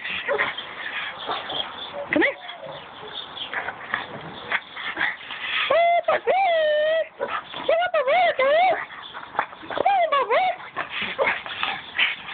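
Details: A pug named Bark Vader, playing and excited, gives high whining yelps in three short bursts mid-recording, each rising and falling, while people talk, call his name and laugh throughout.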